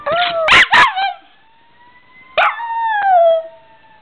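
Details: Pet dog named Chocolate howling in reaction to fire truck sirens: two sharp bark-like bursts, then long, loud, drawn-out howls with rich harmonics that slide gently downward, separated by a short silence.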